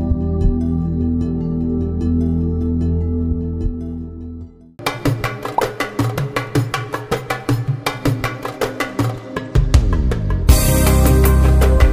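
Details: Instrumental music with a sustained low drone giving way to rhythmic plucked and percussive notes, with no animal sound heard.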